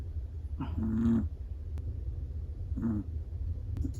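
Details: Two distinct snores from a sleeping black-and-tan Chihuahua, each a brief rough, tonal nasal rasp about two seconds apart, with quiet steady hum between them.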